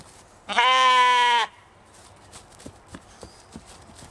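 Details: One Katahdin sheep bleat from an evening homestead flock at play in Michigan: a single steady, richly harmonic cry of about one second, followed by soft clicks and rustles.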